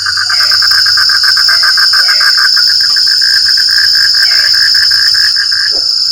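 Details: Rain-night frog chorus of fast, rattling pulses in a continuous trill, a few deeper croaks at about half a second and four seconds, and a steady whining insect drone on top.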